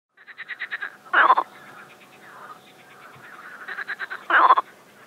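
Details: Mating frogs calling in an overgrown pond in Russia's Moscow region, Shchelkovsky district, on a warm sunny spring day, 25 May 2021: quick rattling pulse trains, two louder dense bursts about three seconds apart, softer croaking chorus between.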